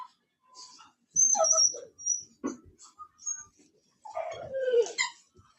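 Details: Cane Corso, the Italian Mastiff, kept by a breeder near Nashville, Tennessee, making high, thin whines and squeaks, ending in a longer whine that slides downward in pitch; little else is heard.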